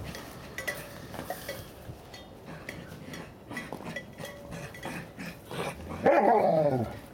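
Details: A Bernese Mountain Dog puppy from a litter in its first snow: soft rustles and faint clicks, then a single loud, full, harmonic bark with a bright, slightly rough tone that fades quickly.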